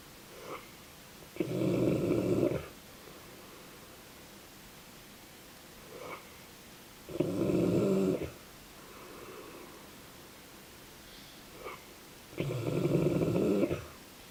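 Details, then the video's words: Sleeping Dogue de Bordeaux (French Mastiff) snoring indoors: three long, rough, rumbling snores about five seconds apart, each preceded by a faint short intake of breath, in a quiet room. "Dogue de Bordeaux (French Mastiff) snoring"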